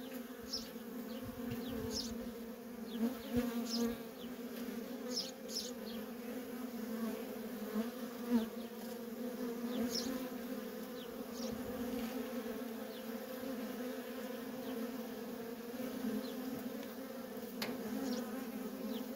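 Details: Busy traffic of worker honey bees at a feral colony makes an unbroken low drone, while faint short high chirps sound scattered above it across the recording.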